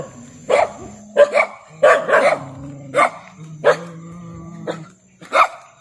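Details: Barks from a pet dog come in quick single and paired yaps about once a second, over a low droning hum and a faint high whine.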